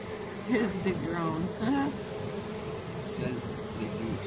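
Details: Bees of a removed honey bee swarm climb off one another into a hive box after the queen was moved inside, giving a continuous humming buzz beneath close, intermittent human voices.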